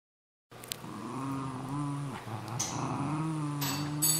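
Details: Cairn Terrier and Jack Russell Terrier, pet dogs, fighting over an old golf glove; a steady low growl with harmonic whine-like tones runs almost throughout, rising slightly in intensity, with a few sharp clicks and scuffles.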